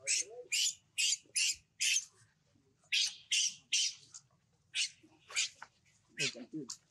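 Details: Leo, a baby monkey left on the ground by its mother, crying: a rapid series of short, high, shrill squeals repeated in bursts, with a few lower whimpers between them.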